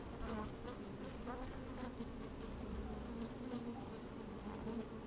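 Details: Inside an opened beehive on a sunny, breezy day, honey bees moving about make a dense, continuous low hum with brief brighter buzzes and faint crackling as they crawl near the microphone.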